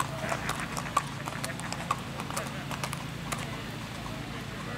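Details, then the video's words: Strawberry roan Tennessee Walking Horse stallion ridden by a young girl on a ladies' trail ride in Macedonia, Texas; soft, irregular hoof clops under steady background noise and voices. "Little Girl Rides Strawberry Roan Stud Tennessee Walking Horse"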